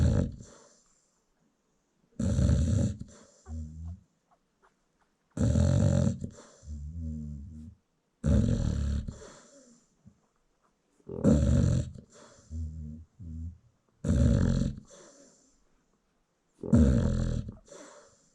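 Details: American Bully mother asleep while her newborn puppies nurse, South Africa; steady cycle of low rasping snores roughly every three seconds, each often followed by a shorter softer exhale rattle.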